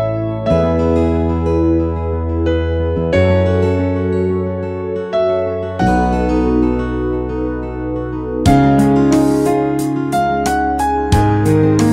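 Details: Soft electric piano music plays throughout, with sustained chords and no animal sounds. Nothing else is heard.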